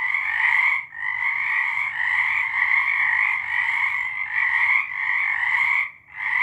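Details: Frog chorus recorded March 2023: massed trilling calls hold steady, easing briefly near one second and dropping almost silent around six seconds before resuming.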